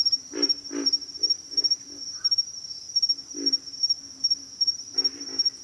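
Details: Series of short, low grunts from pig frogs, some louder and rougher, arriving in loose clusters with gaps, while a high, even insect whine runs underneath.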